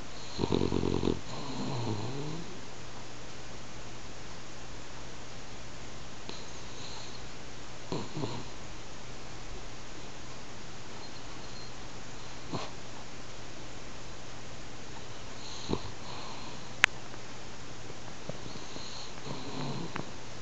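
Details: Sleeping French Bulldog kept as a house pet: one loud rasping snore at the start, then long stretches of faint low breathing with a few soft snorts and a sharp click.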